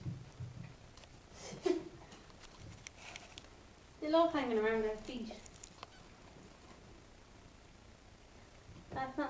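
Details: Puppies five weeks old, indoors: one long, wavering whine of about a second that falls away at the end, then quiet rustling and a few short squeaks, with faint human talk.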